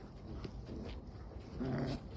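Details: Tibetan Mastiff puppies playing with their mother indoors give a brief low growling whimper near the end, over a steady background rumble.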